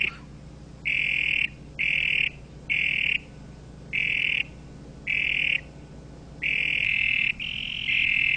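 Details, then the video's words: Toad giving loud, buzzy trilled croaks in bursts of about half a second to a second, repeated seven times with short pauses; the last two run longer and close together over a low steady hum. "sound of toad croak croak croak"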